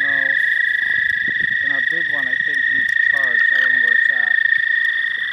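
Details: Frogs at a pond, among the first spring callers, with many out in the dark; rough stacked croaks come in quick overlapping bursts, over a steady high whine and a person talking softly.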